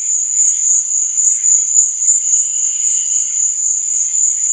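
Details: Night-time cricket chirping forms a continuous shrill, pulsing trill at a steady pitch, with faint wavering lower tones beneath it and no other clear sounds.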